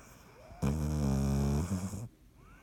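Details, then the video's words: Sleeping dog Dottie gives one deep, droning snore on 16 March 2019, a steady low harmonic rumble lasting about a second and a half, then fading to quiet. "Dottie snoring"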